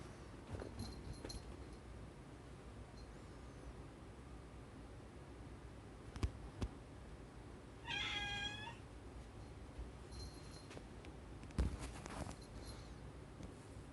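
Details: Rescued house cat, one of several said to long for the outside world, gives a single clear meow lasting under a second, steady and harmonic, midway through an otherwise quiet indoor stretch with faint clicks and soft handling noises.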